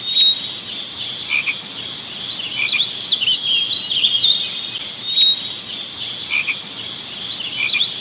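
A dense, high-pitched insect chorus of steady chirping and trilling, with brief rising chirps over the top.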